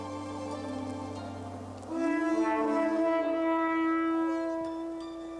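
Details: Humpback whale song, believed sung only by males as a love song, though its meaning is still uncertain: long, horn-like moans rich in overtones, a low drone giving way to a higher, wavering held note.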